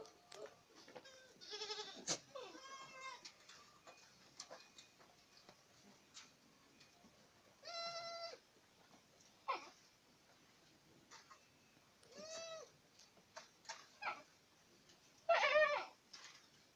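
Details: Several Boer goats in Acatlán de Osorio, Puebla, call in turn with wavering, nasal bleats spaced a few seconds apart, ending with a loud harsh cry, amid soft clicks and rustling.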